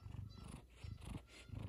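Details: Kumba, a male F2 Savannah cat, purrs in a deep, low, steadily throbbing rumble one morning, excited about leftover chicken. Geese can be heard in the background.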